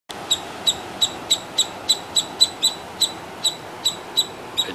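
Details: Squirrels in South India by the Arabian Sea, June 2020, give sharp, high chirps in a steady rapid series, about three every second, loud enough to drown out everything else.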